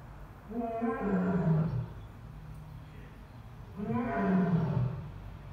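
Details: Captive Asiatic lion at Dublin Zoo giving two drawn-out, deep moaning roars, each about one and a half seconds long and harmonic-rich, separated by a short pause, with low background rumble.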